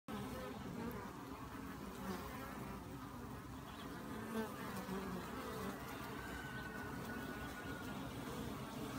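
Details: Honey bees buzzing as a dense, continuous low hum of many wingbeats with no pauses, a steady drone filling the whole recording.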